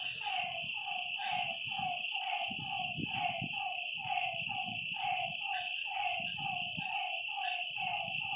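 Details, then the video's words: Night chorus of frogs beside a lake: rhythmic croaking notes stacked in quick succession, a steady shrill insect hum above, and intermittent low rumbling bursts beneath. "Lakeside night creatures and frog sounds"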